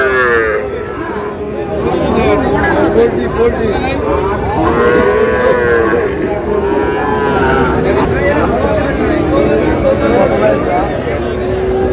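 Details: Sahiwal bull calves at a busy cattle market in Rajbari, offered for sale to a farmer; drawn-out harmonic moos rise and fall repeatedly beneath constant crowd chatter and bargaining voices.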